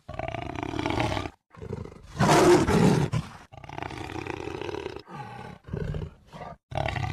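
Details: A jaguar gives harsh, throaty roars in uneven bursts, the loudest near the middle, broken by brief silences and followed by shorter rasping grunts.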